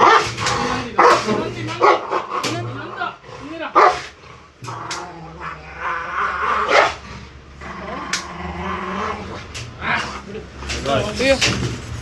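A Rottweiler gives rough, throaty growls and sharp barks in irregular bursts, showing aggression while its nails are clipped. Human voices talk over and between the outbursts.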